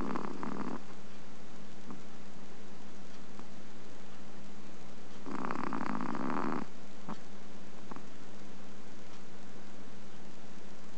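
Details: Chihuahua napping during the day, August 2010, giving small snores: two breathy, rasping snore bursts about five seconds apart over a steady low electrical hum.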